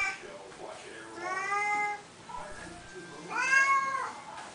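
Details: Siamese kitties calling at feeding time indoors, where they are fed each morning and night: two wavering, somewhat softer meows separated by a pause, with a person's voice talking to them in between.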